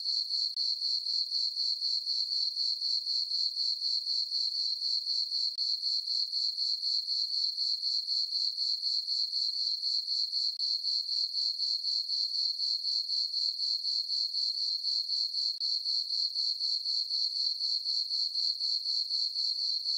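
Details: Summer-night crickets in a moonlit meadow on a farm, giving a continuous shrill chirping that pulses regularly around four times per second at a constant level throughout, alone without other noises.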